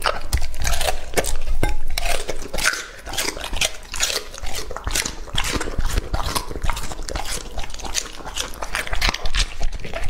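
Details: Raw-meat meal for Lucky, a young English Labrador Retriever aged two and a half: rapid, irregular bites and crunches about three per second, with heavy low chomping and wet lip smacks, steadily fading toward the end.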